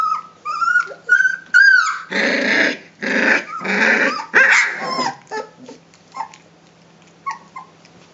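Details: Three-week-old Rhodesian Ridgeback puppies at a kennel play and growl at each other, trading high whines, rough rasping growls and sharp yips.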